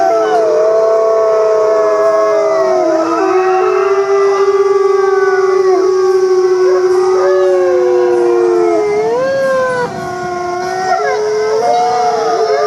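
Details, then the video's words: Wolf pack in full chorus, howling to bond and communicate: many drawn-out tones at different pitches sliding and bending, some voices dipping then climbing again, continuous throughout with no gaps. "Sometimes wolves just love the sound of their own voice! Why talk when you can sing?"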